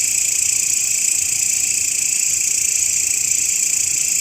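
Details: Grasshopper droning without pause, kept as a master sound for songbird training. A bright, high, hissing buzz runs at an even level across the short stretch, with fast, faint pulsing.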